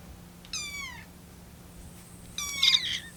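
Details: Lucy, a rescued kitten on her 25th day in care, meows while the kittens wait for their milk to cool, eager to get it. Two high, thin meows, each sliding downward, with a quiet room hum beneath.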